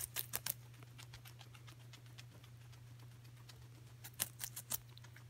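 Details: Guinea pig named Coco eating celery: a few sharp crunchy bites at the start and again near the end, separated by quieter chewing over a constant low electrical hum.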